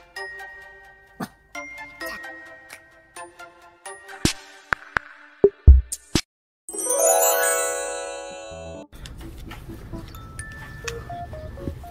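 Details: Chiming, tinkling music with ding-dong tones and a rising sweep, with brief speech at the edges.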